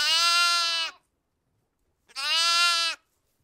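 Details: Sheep (Ovis aries), bleat.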